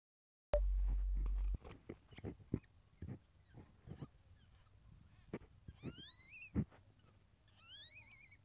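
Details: Captive civet, a Lombok civet crossed with an Asian palm civet, giving birth for the second time; dry ticking and tapping sounds, then two thin, high, rising squeaks that bend over near the end.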